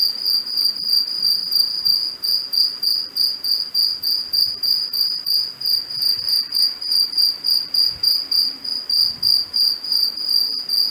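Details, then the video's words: A cicada sings a high, steady, ringing buzz, pulsing about three times per second, early morning on 2 March 2021 in a residential garden in Cape Town, South Africa. "Cicada species (Family: Cicadidae) - Sea Search Sound Library"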